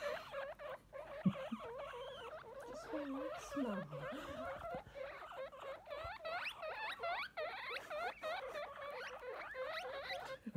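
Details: Baby guinea pigs wheek without pause, a busy overlapping chorus of sharp, upward-sweeping squeals repeated rapidly, with a few lower voiced sounds and soft rustling underneath.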